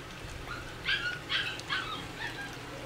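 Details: Miniature dachshund puppies, four weeks old, finishing their first meal of rice cereal and canned puppy food. Three quick, thin, high-pitched squeals come close together midway through, then softer chirps fade out against low background hum.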